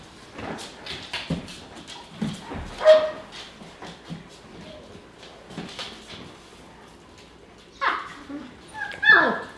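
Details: German Shepherd puppies from Ella and Geronimo's litter socialising with adult German Shepherds Titan and Paisley; scattered short yips and whimpers, ending in a couple of sharp rising squeals, with human voices talking in between.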